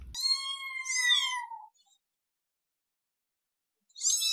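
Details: Kitten giving a long, thin, high-pitched meow that holds level then falls slightly, followed by silence and the start of another shrill mew at the end.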